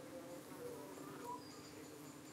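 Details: UK honey bees buzzing at their hive entrance, where flies have been attacking them. A low, even hum persists under faint background hiss, with brief thin higher tones.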